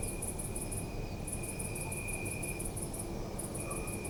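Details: Crickets chirping at night in a city park, recorded on a Zoom F3: a very high, rapid pulsed trill in bursts about a second long with short breaks, over a steady thin high whine and a constant low city rumble.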